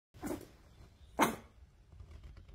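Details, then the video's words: Boston Terrier puppy barking at its owner: two short, sharp barks about a second apart over a quiet background. "Cheeky Boston Terrier Puppy Barks at Owner"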